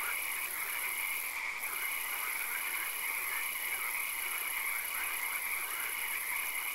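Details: A swamp at night full of frogs: a steady massed chorus of croaking with faint repeated short notes, backed by an unbroken high-pitched hiss.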